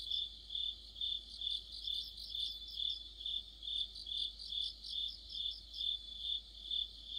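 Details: Autumn chorus of crickets and other insects near a streetlight: a steady high chirping band, pulsing about twice per second in regular swells, with a second rapid trilling voice layered above.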